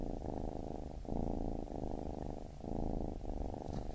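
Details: A baby kitten purrs in a deep, even rumble, the sound pausing briefly between inhale and exhale cycles about once a second.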